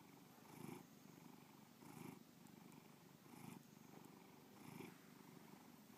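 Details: Domestic cat Bubba purring contentedly: a soft, rumbling drone with four distinct swells, each inhale and exhale marked by a louder pulse every 1.3 seconds or so.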